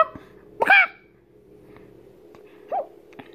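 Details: A 7-month-old pug puppy, hearing chicken noises for the first time, gives one sharp, high yelping bark, then a softer, shorter yip two seconds later, over a steady low indoor hum.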